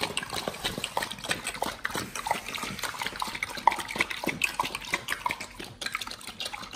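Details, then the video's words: Pit Bulls on a raw BARF diet chewing raw beef shank with cow liver, green tripe and duck wings; wet, crunching bites and tearing clicks come in a loose, irregular stream, about three per second, close and clear. "Pit Bulls eat Raw Beef Shank combo [ASMR] | BARF | MUKBANG 動物の咀嚼音 | 犬が生の肉を食べる"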